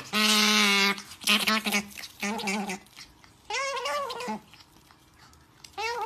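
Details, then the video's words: Nutria asking for food: a series of loud, nasal, wavering bleat-like cries, each about a second long, some steady and some bending upward, repeated with short gaps. "Nutria Pide De Comer"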